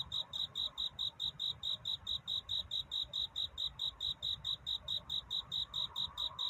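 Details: Night-time cricket courtship song before dawn, a love-seeking call rather than crying: evenly spaced, bright, high chirps, roughly two to three each second, steady over soft background hiss.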